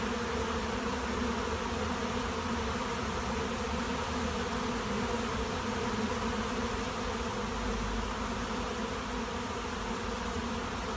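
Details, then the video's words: Honey bee swarm at a monastery apiary: a dense, continuous droning buzz of many bees, steady throughout with a broad hum in the low and middle range and no other clear sounds. "Пчелиный рой на монастырской пасеке"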